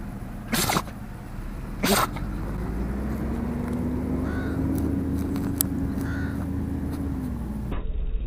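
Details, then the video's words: Hilda, a Dachshund, sneezing: two sharp, explosive bursts about a second apart near the start, then a steady low droning hum like an engine fills the rest, with a few faint chirps above it. "Hilda Sneezing Dachshund"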